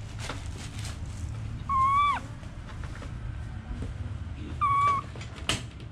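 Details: Baby monkey kept as a pet, giving two clear whistled calls about three seconds apart, each a level, slightly wavering tone lasting about half a second, over a low steady background hum and faint clicks.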